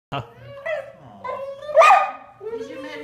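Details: Female Golden Retriever, recently injured with severed tendons, 'singing' to an old friend of her owner during a greeting: a run of whiny, warbling moans rising and falling in pitch, with a louder, higher yelp-like burst midway and a person talking.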